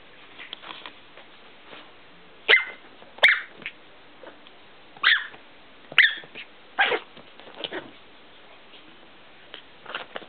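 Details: A small female Chihuahua gives sharp, high-pitched yapping barks in short bursts, a second or so apart.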